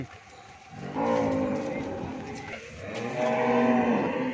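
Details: Friesian dairy cow in Bhangura, Pabna, Bangladesh, produces two steady, held lowing calls, one near the start and a louder one toward the end, amid a noisy farm background.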